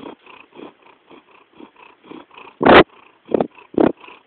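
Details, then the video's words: Jackson, a cat, purring in soft, regular rumbling pulses, then three sharper, louder breathy bursts near the end. "Jackson purring (or is it snoring?)"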